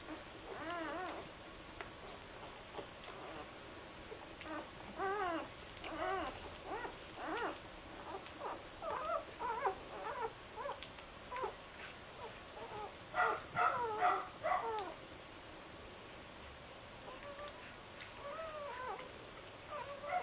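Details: A litter of four-day-old red and white puppies, two males and four females, squeal and whine in bursts of high, rising-and-falling squeaks, several pups overlapping, with pauses between bursts over a faint steady hiss.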